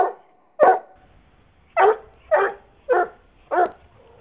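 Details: Loud barking from a dog at a playdate with its best-friend dog, May 5, 2010. Five sharp barks: one alone, then four in quick succession about half a second apart, with little else heard.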